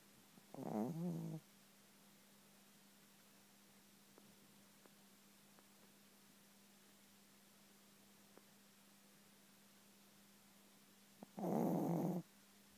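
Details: A soundly sleeping Chihuahua gives two low, raspy snores about ten seconds apart, the second longer and fuller, with a quiet room between.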